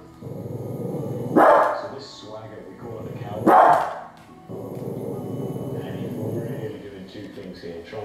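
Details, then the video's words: A female Cavalier King Charles Spaniel barks twice at Alaskan grizzly bears, two short sharp barks about two seconds apart over continuous male narration. "Cavalier King Charles barking at Grizzly Bears II"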